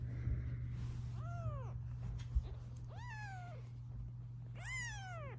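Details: Mother cat near her kittens, objecting as they are filmed, gives three fairly quiet meows, each rising then falling, spaced about two seconds apart, over a steady low hum.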